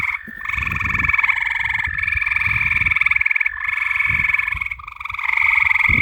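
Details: At night, frogs give continuous rattling trills, with a second caller overlapping at a slightly different pitch, making a dense pulsing drone over faint low background rumble.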